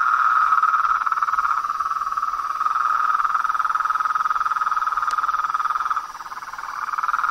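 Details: Nighttime-style natural chorus of toads, frogs and tree frogs: a steady, buzzing trill fills the whole stretch, briefly softening near the end before swelling again, with one sharp click partway through.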